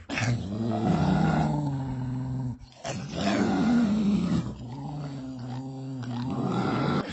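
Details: Deep dog growl, continuous and rumbling, rising into two stronger, rougher swells separated by a brief pause.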